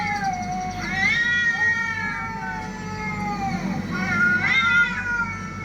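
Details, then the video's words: Cats fighting: long wailing caterwauls that slide up and down in pitch, sustained for several seconds with strong harmonics, steady low hum behind. "TRY THIS SOUND ON YOUR CATS #fightingcats"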